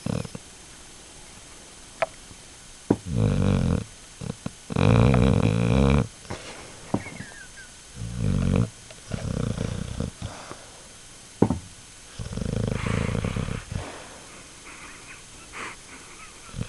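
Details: Pet dog snoring away: irregular deep, rumbling, rattly bursts of one to two seconds, with short gaps between them and a steady background hum.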